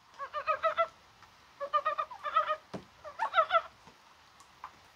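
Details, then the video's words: Rainy, spring-like January 21, a mountain frog calling; tight runs of rapid clucking pulses in groups of four to six, several clusters in quick succession, with a sharp tap and light rain-like background noise. "개구리가 울어요"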